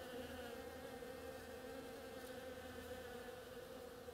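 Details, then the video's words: Bees busy on oriental creeper blossoms, giving a continuous droning buzz with strong harmonic bands, evenly sustained, no other animals audible. "Bees hard at work on my oriental creeper"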